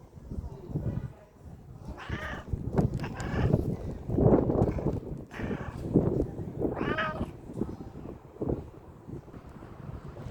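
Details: A cat reaching out with its paw while asking for food gives several drawn-out, nasal meows, about four in the stretch, with a person speaking softly and wind noise underneath.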